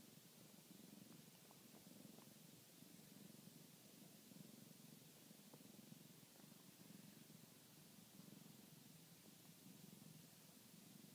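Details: Continuous low purring from a domestic cat kneading, a soft rhythmic rumble rising and falling with each breath over steady hiss, no other sounds.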